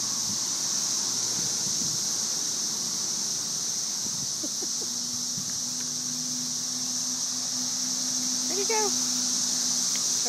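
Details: Thousands of cicadas massed in trees during the May 2011 invasion make an unbroken shrill sizzle, nearly white noise, under a person's low voice and a brief high whine near the end.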